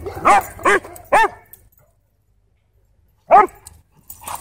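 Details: Two Siberian Huskies in an intense play fight at a dog park: three quick harmonic barks in a row, a pause of two seconds, then another loud bark, over a low background hum.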